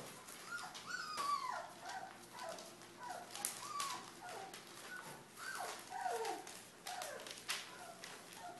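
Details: Pyrenean Mastiff puppies at three and a half weeks old, from the Querida de la Tierra Alta litter, give repeated high whimpers and yelps that slide downward, several overlapping voices, over a steady background of rustling and clicking noises.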